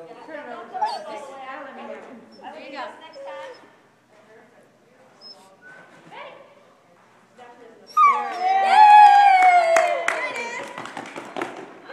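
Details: Female Great Dane at recreational dog sports (agility, disc dog, nose games) in Rising Fawn, Georgia, near Chattanooga. Calm human talk first, then a loud, high, drawn-out whine with sliding, falling pitch and yelps in the last seconds.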